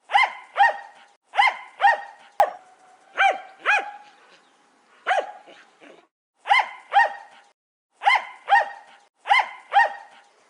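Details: Jack Russell Terrier giving sharp, clear barks, mostly in quick pairs or triplets separated by brief pauses, with one sharp click partway through.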